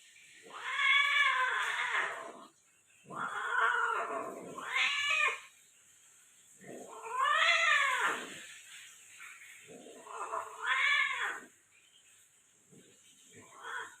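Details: Persian cats during mating, a female Persian cat being crossed, in Gujranwala: loud drawn-out yowls in four or five bouts, each wavering up and then down over one to two seconds, with short pauses and a steady high hiss behind.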